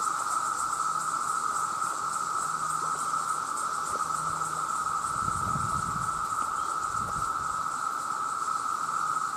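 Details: Male cicadas in their millions crying out for mates, heard as an unbroken, piercing buzz that holds level throughout, with a faint low rumble partway through.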